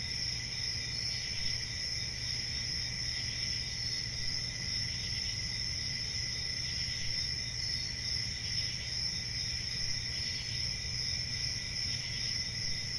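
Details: Crickets chirping in a steady, unbroken high-pitched chorus, with a shrill continuous trill layered over a lower ringing tone and a faint low hum beneath, with no pauses across the stretch.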